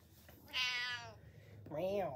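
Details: Indoor pet cat wanting to be watched while eating gives one short arched meow after a person's voice, quiet room hum underneath.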